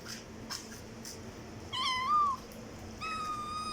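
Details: Cat meowing loudly: a rising-then-falling meow of about half a second, followed after a pause by a long, steady, level meow, against faint clicks and a quiet room.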